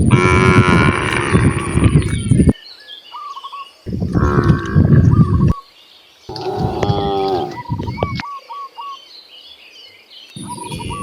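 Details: Cows mooing while roaming freely in nature on their way to vast grasslands: four loud, deep, drawn-out moos of about two seconds each, separated by short pauses, with small birds chirping in quick trills between them.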